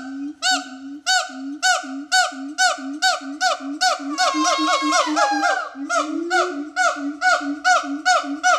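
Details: Siamang at the Metro Zoo giving a rapid series of hooting, rising notes, about two per second, with layered overtones. Mid-clip the calls swell into a louder, overlapping stretch of sliding whoops before returning to steady hoots.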